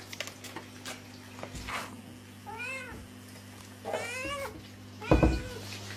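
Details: Angry cat making several short, arching meows over a steady low hum, with a sharper, louder cry near the end and occasional thumps.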